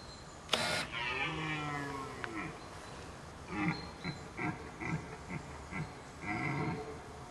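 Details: Deer during the 2008 rut in Weerterbos, Nederweert/Weert, Netherlands. After a sharp click comes a drawn-out, low, harmonic groan, then a run of short, gruff grunting pulses spaced about half a second apart.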